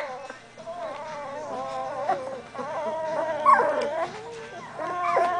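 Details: Doberman Pinscher puppies, 17 days old and moving around more each day, give overlapping whimpers and thin whines, several voices layered at once with wavering tones that swell and fade, louder squeaky cries near the end.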